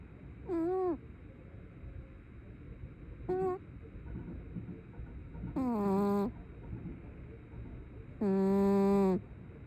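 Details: Brown tabby cat snoring in its sleep, each breath a nasal, whiny, drawn-out squeak, the later ones longer and steadier, coming at uneven intervals of a couple of seconds.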